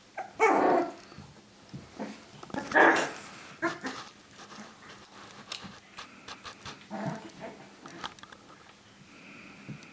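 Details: Three-week-old puppies indoors: two loud, harsh squeals near the start, then softer scattered whimpers and small yelps with rustling in a small room.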